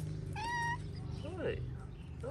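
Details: Stray street cat in Morocco meowing for food: one clear, level, tonal meow lasting under half a second, followed by a man's voice greeting the cats over a steady low hum.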